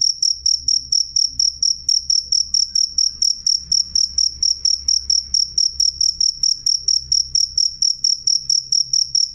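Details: Sharp, clear cricket chirping at high pitch, regular pulses a little over two per second, sustained and loud against a faint low background hum.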